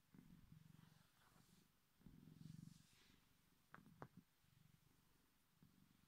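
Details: A male Bengal cat gives his unusually deep, big-cat-like purr, a low rumbling pulse broken by breaths, which he does only when he feels like it.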